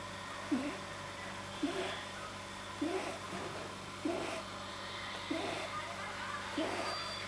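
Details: Deeply relaxed pet rabbit Pamuk, whose vet suspected an overly long soft palate, gives short squeaky snorting noises, one roughly every 1.2 seconds, evenly paced against a quiet humming room background; recorded 9 January 2010.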